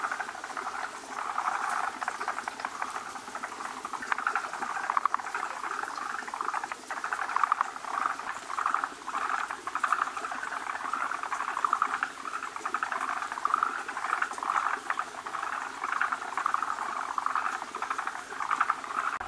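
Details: Many male forest green tree frogs crowd around a large female at their spawning site where foam egg masses are made, producing a steady, dense chorus of quick chattering clucks with no pause.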